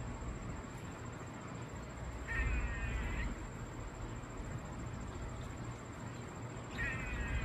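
A squirrel gives short, raspy, buzzing calls, each lasting under a second, spaced about four seconds apart.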